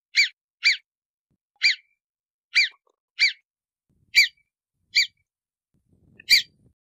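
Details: Series of eight piercing whistles from a marmot, each brief and arched in pitch. They repeat roughly every half second to one second, and a little soft rustle is heard near the end.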